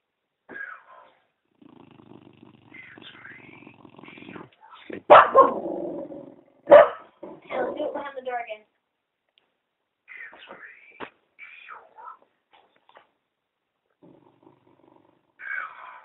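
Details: Dog named Penny growls at a talking Eeyore puppet indoors, a low rumbling growl followed by sharp loud outbursts, with a person's voice speaking and reassuring around it.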